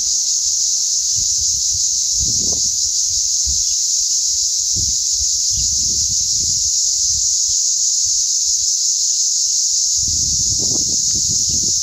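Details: A dense chorus of cicadas near Pano Lefkara, Cyprus, makes an unbroken, shrill buzzing hiss that holds its pitch and loudness throughout. Soft low thumps and rustles, likely wind or handling, come and go underneath.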